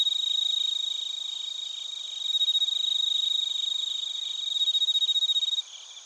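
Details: Crickets, including bell crickets, in Narita, Chiba Prefecture, Japan, captured with a TASCAM Portacapture X8: loud, rapidly pulsing high chirps, about four pulses a second, over a steady shrill drone that drops away abruptly near the end.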